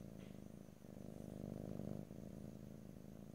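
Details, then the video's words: Short burst of close cat purring, a low buzzy rumble that builds in loudness and then eases off, with no other sounds. "ASMR Cat: Purring"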